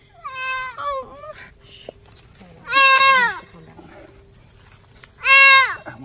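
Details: Fawn stuck in a fence, calling out in pain. Repeated strained bleats sweep down in pitch, with a wavering first call, under human voices nearby.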